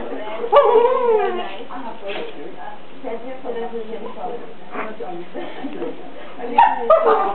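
A dachshund gives bending, whining yips and moans while a woman talks to it in French.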